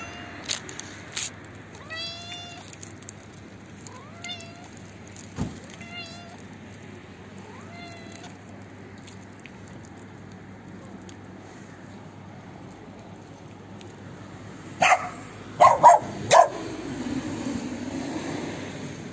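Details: Old, hungry, toothless stray female cat living in a neighbourhood front yard, being fed and running eagerly toward her feeder. Four short, rising harmonic meows come a couple of seconds apart, then quiet hum, followed by sharp clattering knocks near the end.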